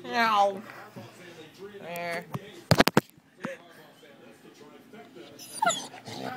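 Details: A female Great Dane seeing herself on camera for the first time gives high, wavering whines and short yips while people talk nearby.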